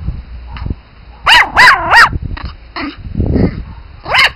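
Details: Pomeranian Spitz puppies giving three loud, high-pitched yaps in rapid succession, followed by softer squeaky yips, some low shuffling noise, and one final sharp yap at the end.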